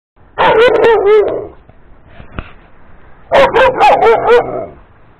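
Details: Dog barking to get a big yellow ball thrown for play, recorded 2 April 2018; two bursts of rapid, sharp barks, four or five each, separated by a quiet pause.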